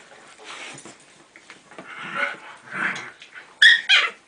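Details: Four-week-old basenji puppies, with their parents nearby, give soft, breathy whines ending in two sharp, high yelps.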